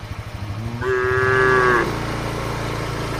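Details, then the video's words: Tame cattle grazing across a wide green field, answering each other; a single steady, level moo of about one second rises over heavy low rumbling vehicle noise. "suara sapu lembu moo"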